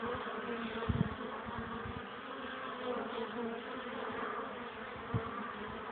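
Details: Pollen-carrying honey bees at their hive on a cold, windy April afternoon, 12 degrees, struggling to land in the wind; continuous droning buzz with low thumps near the first and fifth seconds.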